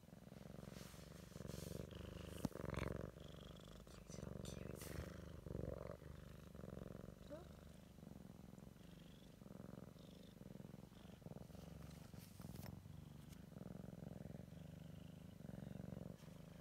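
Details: Siamese kitten checking out its surroundings for the first time, purring in a steady low pulsing drone, with quiet human speech and scattered clicks over the rumble.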